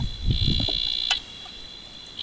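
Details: In northern New South Wales after rain, male bleating tree frogs at a property's pool give long, high, piercing bleats to attract a mate.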